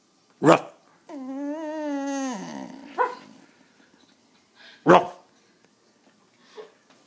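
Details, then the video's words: Pet dog Penny, urged to bark but refusing, gives one long steady whine that wavers slightly and then drops away, bracketed by sudden loud bursts and a few softer knocks afterwards. "Penny whining"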